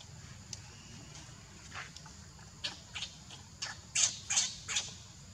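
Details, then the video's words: Tiny baby monkey calling for its mother and sister, giving a series of short, sharp, high squeaks that come irregularly and grow louder and closer together toward the end, over steady low background hum. "Help me! Tiny baby monkey is calling his monkey mom and sister."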